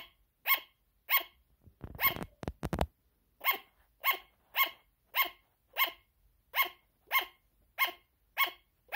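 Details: Shrill, evenly spaced yapping barks from a sugar glider, about two per second, interrupted near two seconds by a brief rattling clatter before the barking resumes.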